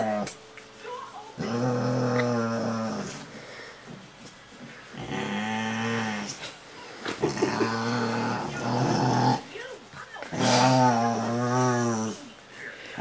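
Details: Rottweiler indoors 'talking' while being cuddled: drawn-out, wavering groaning moans in several long bursts, overlapped by a woman's soft Norwegian speech and some background music.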